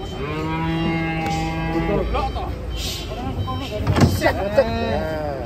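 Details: Cattle giving a long, low, droning moo of about two seconds, then shorter wavering vocal sounds and a sharp clatter, with music playing in the background.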